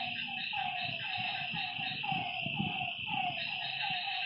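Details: Frogs calling at night by a lake: short, harmonic notes that slide downward, repeated about twice a second with several voices overlapping, over a steady high droning of insects and faint low rumbling.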